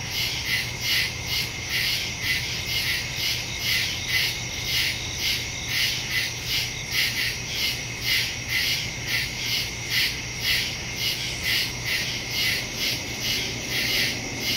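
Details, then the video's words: Night woodland insect chorus of crickets, captured September 2, 2023 using a Shure MV88+ stereo microphone on a Samsung Galaxy S22 Ultra; continuous high-pitched pulsing chirps overlapping steadily, with a low constant hum in the background. "Crickets in the woods at night"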